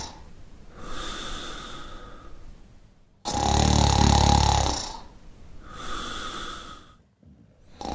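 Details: Sleeping Shar Pei snores in a steady cycle, soft whistling exhales alternating with one long, loud, low rattling inhale, then another breathy exhale before the next snore begins.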